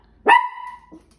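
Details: Female Yorkshire terrier barking because she wants to run after other dogs: a single sharp, harmonic bark that holds a steady tone before fading, followed by a soft short grunt.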